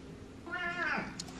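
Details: A pet cat meows indoors, one harmonic-rich cry swelling and bending downward over about half a second, followed by faint clicks; room is otherwise quiet.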